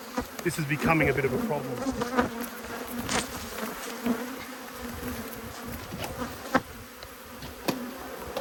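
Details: Agitated honey bees swarm around two opened hives during an inspection, 5 March 2022: a continuous droning hum of countless wings with brief louder fly-bys, a soft voice early on and occasional clicks.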